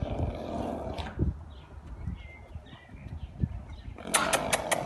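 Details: Arabian horse giving a loud breathy blow at the start and a sharp fluttering snort at the end, with softer snuffles between and bird chirps in the rural background.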